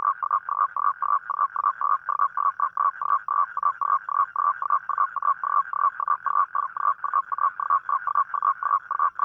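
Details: Toad calling at night, a call given on rainy nights to attract a mate; a steady, rapid train of short mid-pitched croaking pulses, about four per second, continuing without a break.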